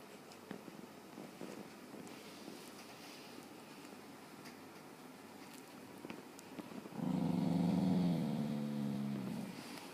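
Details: A sleeping, dreaming dog lets out a drawn-out, low, voiced moan after several seconds of quiet rustling.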